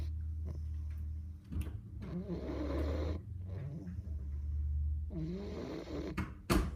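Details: English bulldog puppy named Boofie asleep, snoring in a small room: low rumbling breaths with rough, wavering snorts, a steady drone underneath and a sharp click near the end.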